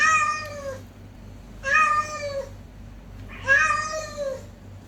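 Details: Fighting cats produce three loud, nasal meows, roughly one every two seconds, each with a slight rise then downward slide, against a constant low electrical hum.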